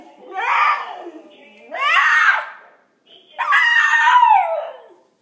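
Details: Senshi, a pet dog, howling at an answering machine indoors: three long, wavering howls, each swelling then sliding downward in pitch, the last the longest, with brief quiet gaps between them.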